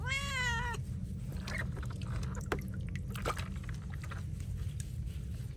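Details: Feral cat being bathed gives one short, arched meow at the very start, followed by scattered clicks and splashy knocks over a constant low rumble.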